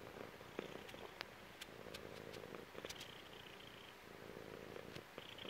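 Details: A chubby female cat lies on her owner's belly and purrs steadily, a low pulsing rumble rising and falling with each breath, interrupted by sharp little ticks and rustles of movement.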